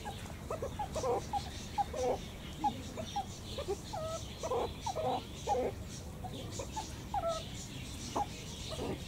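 Meerkats give a rapid run of short, chirping and squeaky calls over a low rumbling background.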